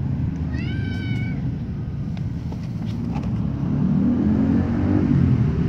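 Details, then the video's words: White kitten meowing loudly while its mother licks it, heard from above: one clear, short, wavering meow near the start, over a steady low rumble. "kitten white meows loudly"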